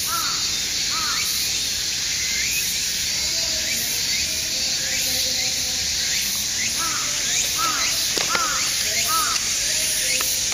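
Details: Dense cicada chorus in Aoba-no-mori Park, 6 September: unbroken shrill buzzing high up, with repeated short arched bird chirps scattered throughout and a sharp tap late on.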